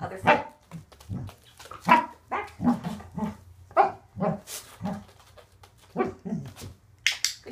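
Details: Barks from Waffle, a Corgi being trained to place his back feet, come in a steady run of short yaps overlapping the trainer's encouraging talk.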